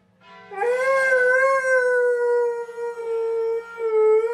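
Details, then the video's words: Pet dog called bubby, just back from a Thanksgiving walk, gives one long, steady, mid-pitched howl that rises slightly and then holds level for about four seconds. Faint background music plays. "Funny Dogs Howling"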